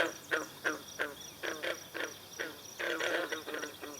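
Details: Green frogs in chorus on a pond at Brillion Nature Center, with swallows coming to drink. Plucked-sounding croaks repeat about three times a second in an irregular rhythm and thicken into overlapping calls near the end.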